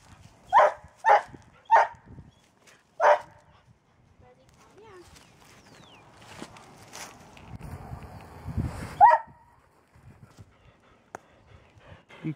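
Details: Airedale Terrier named Woodrow fighting a snake while protecting the family farm: four sharp, loud barks in the first three seconds, then quieter rustling and scuffling, with one more bark near nine seconds.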